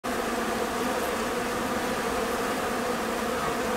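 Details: A bumblebee, from a specialised bumblebee breeding farm, gives a steady, low, droning buzz with a rich harmonic hum throughout, in an encounter with a honey bee.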